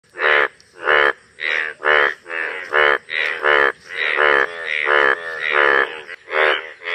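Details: Several bright yellow breeding male Indian bullfrogs (Hoplobatrachus tigerinus) call together, each giving harsh, nasal, bleat-like croaks about a third of a second long, overlapping in a steady, uneven chorus, a mating display during breeding.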